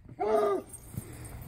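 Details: Bluetick Coonhound baying a skunk: a single drawn-out harmonic howl lasting about half a second, slightly rising then falling, followed by faint background noise.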